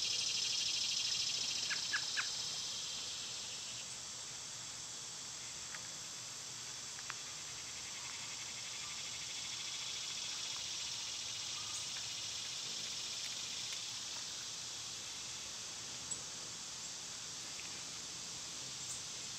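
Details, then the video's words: Summer cicada chorus forming a continuous high-pitched buzzing hiss throughout, with scattered short bird chirps over the drone. "Cicada sounds"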